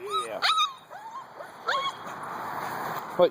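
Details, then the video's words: Morning wake-up of two-month-old Husky puppies: a few high, drawn-out whines that curve downward, with a man's voice talking to them in between. "Husky Morning wake up call"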